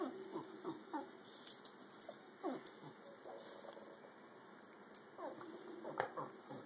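A dog gives a run of thin, high squeals that sweep up and down in short bursts.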